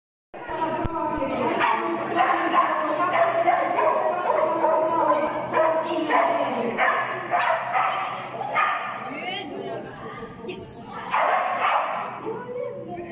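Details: Finnish Lapphund named Mindy on a class C jumping agility course at PAWS, 3 October 2020; rapid, uneven run of sharp harmonic barks, fading near the end, with a person's voice mixed in.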